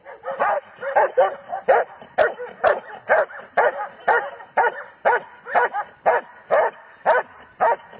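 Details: German Shepherd dog barking steadily, about two sharp barks each second across eight seconds, each bark a short harsh burst with a slightly uneven rhythm; no other sounds stand out.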